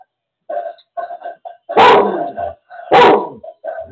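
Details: Lola, a seizure alert dog, gives two loud, harsh barks about a second apart, with softer yips and whines around them, alerting while her owner has a seizure and no one else is home.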